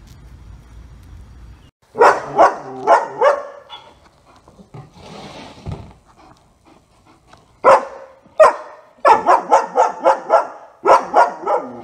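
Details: German Shepherd named Otto, in for a two-week board and train over trouble with distractions, gives loud, sharp barks in quick runs of four or five, with pauses and short single barks between bursts in a quiet setting.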